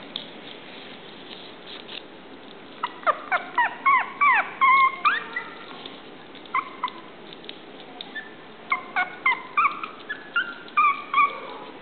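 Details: Male Chihuahua puppy giving short, high whimpering yelps in bursts, each note sliding downward, several per second in two runs separated by a pause, over steady background hiss.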